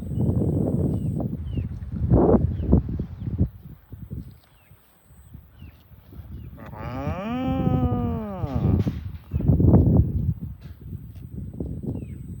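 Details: Farm cows herded toward the barn, one giving a loud moo of about two seconds that swells and bends slightly down at the end, between stretches of heavy trampling hooves and low rumble, faint birds chirping in the background.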